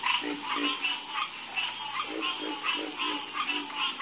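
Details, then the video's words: Night chorus of frogs, rhythmic croaks repeating roughly every half second, each with a low buzzy base and brighter upper bands, set against a constant high-pitched hiss. "FALL ASLEEP FASTER WITH FROGS 🐸 Sleep Like A Baby With The Calming Sound Of Harmonious Frog Croaking"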